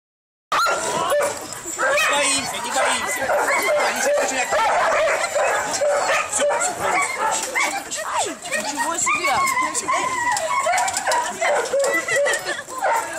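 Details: Many Siberian Huskies at a kennel, visited on a bus excursion on 25 November 2012, give a dense, continuous chorus of high, wavering yips, whines and howl-like notes that overlap constantly, with people talking throughout.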